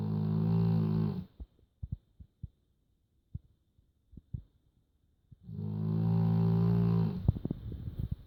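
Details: Indoor snoring from Joschi the dog, who snores a little: two drawn-out, deep, rattling inhalations about five seconds apart, separated by soft ticking and clicking sounds in a quiet room.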